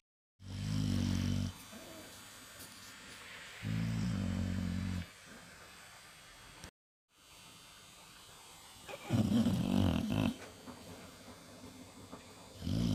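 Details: Sleeping Staffordshire Terrier snoring after seeing in the New Year: deep, rasping, low snores, each over a second long, separated by quieter breathing gaps of a few seconds, in a small room.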